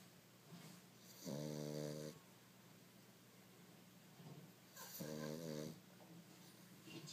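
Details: A sleeping dog snoring indoors: two loud, rasping, buzzy snores about three and a half seconds apart, each lasting under a second, with softer wheezy breaths in between and a steady low hum in the background.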